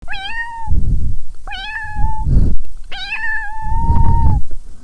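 A domestic cat gives three clear, drawn-out meows, each starting with a brief upward bend then holding steady.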